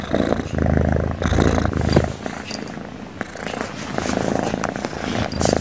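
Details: Domestic cat, a cute one, sleeping and snoring constantly; low rumbling breaths repeat steadily with a purr-like texture, a few faint background clicks.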